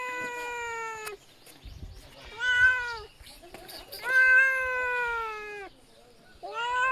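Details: Kitten meowing indoors: three drawn-out, tonal meows, the first about a second long, the second shorter and rising then falling, the third long and steady, followed by the start of a fourth, with quiet gaps between.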